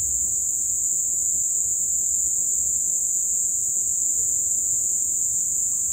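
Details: Crickets in great numbers sing at sunset following heavy rains, their sound merging into one constant, shrill, even-toned ringing with no breaks and nothing else clearly heard.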